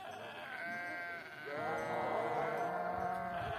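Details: Sheep at Spartias in Aetolia-Acarnania: long, wavering, nasal bleats overlap almost without a break, one voice dropping away briefly before a louder, steadier bleat swells and holds to the end.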